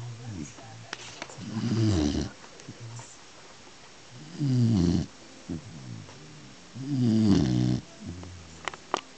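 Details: Beagle asleep, giving regular rattling snores about every two and a half seconds, each a low buzzy drone, with faint clicks and soft noises between them.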